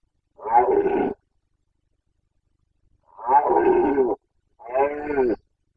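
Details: Carpathian red deer stag roaring in the 2021 rut, Bucovina, Romania: three loud, rough roars, the first and second close to a second long with a long pause between, the last shorter and more tonal.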